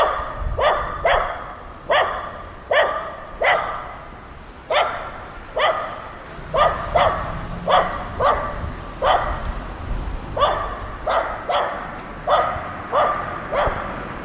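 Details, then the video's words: Several dogs playing together give a long run of clipped, bright barks, mostly in pairs and quick bursts, spaced a little under a second apart across the whole stretch. "The sound of dogs barking and playing together"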